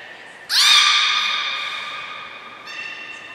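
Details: Captive beluga during a 2 April 2023 training session at Port of Nagoya Public Aquarium with the whole group joining in; one sudden, bright, nasal squeal that slides slightly upward and fades over two seconds, then a softer echoing note.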